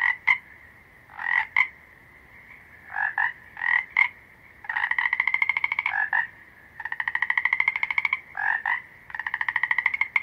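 A frog calls with short nasal bursts and longer rapid pulsed trills, repeated in bouts.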